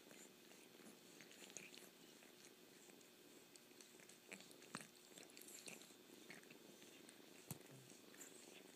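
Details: Purring kitten, a constant low drone mixed with irregular slurping and chewing-like clicks, two sharper ticks standing out near the end.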